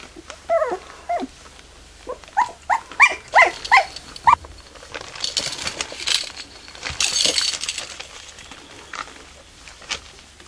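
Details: Border Collie puppies at their first play, giving a string of high, squeaky whines and yelps over the first few seconds, then quieter rustling and scuffling noises.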